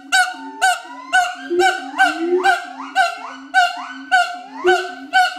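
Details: Pair of adult siamang gibbons at Schmutzer Primate Center in a territory-advertising duet: regular loud barks roughly twice per second, swooping upward notes between them, and low droning boom tones throughout.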